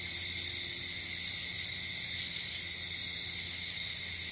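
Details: Night-time cricket chorus outdoors in nature: continuous shrill ringing tones at several pitches, unbroken throughout, with a faint shimmering pulse high above early on and a soft low hum beneath.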